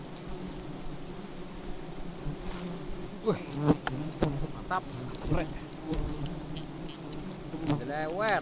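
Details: Aggressive honey bees whirring around, low humming passes with brief rising and falling pitch sweeps, mixed with frequent sharp clicks and a faint murmur of voices.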